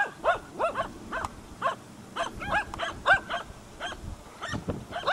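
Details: Hunting dogs Prle and Pirana baying at a dead deer at Salas on 8 September 2012; sharp, mid-pitched barks come in quick, uneven bursts, several per second, at moderate loudness.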